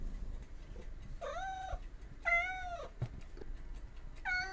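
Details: Domestic cat meowing indoors: three short, bright, tonal meows, each arching up and then falling, about a second apart, over a low background hum.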